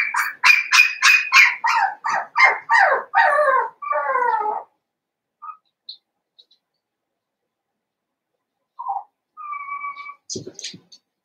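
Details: Seven-week-old blenheim Cavalier King Charles Spaniel puppies, a litter of five born at New Year, in an indoor puppy pen. A rapid run of about ten high, harmonic yips over four seconds, then near quiet with a few faint whimpers and clicks.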